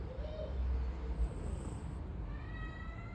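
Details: Bagheera, a pet cat, snoring while asleep and dreaming: a steady low rumble, with a soft faint whine and thin high tones drifting in the background.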